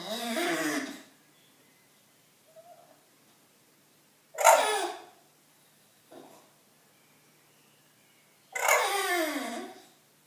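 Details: Indoor bulldog seeking attention: three loud breathy, grumbling bursts, each sliding downward in pitch, spaced about four seconds apart, with brief soft snorts between them in a quiet room.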